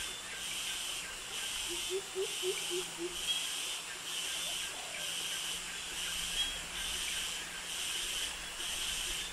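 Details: Jungle cicadas in Krabi, Thailand, where males sing to attract mates: a hissing, broadband shimmer swelling and fading roughly once a second, with a short run of soft low notes from another creature and crickets faintly underneath.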